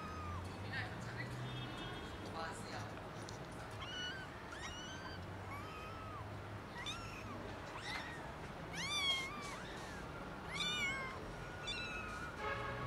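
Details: Kittens, three of them, found meowing loudly in a garden; a run of thin, rising and falling meows, often in quick pairs, grows busier toward the end, over a low rumbling hum and a steady hiss.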